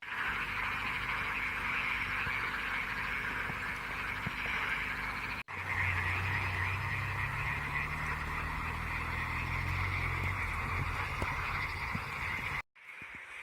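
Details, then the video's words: Frogs calling in a lively chorus at Şıh Mahmut Karagöl lake in the Amanos Mountains, Hatay, Turkey, on 12 March 2024; a dense, continuous rattling croak fills the air, with a low mechanical hum in the middle and brief cut-outs. "Barış kurbağa seslerini duyuyor musun"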